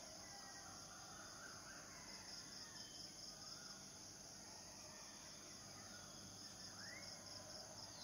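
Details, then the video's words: Cicadas, males singing to attract mates: a steady, high shrill drone with faint ticking pulses runs unbroken throughout, while soft, scattered bird chirps sound in the background. "Sleeping with Cicadidae"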